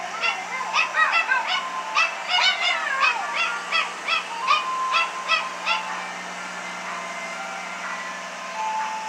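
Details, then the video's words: Two pet dogs at a 1914 Craftsman Victorian house on September 8, 2018, singing along to the ice cream truck song: wavering, yodelling howls and yips in quick overlapping bursts, fading to steady drawn-out tones near the end. "Are these dogs singing?"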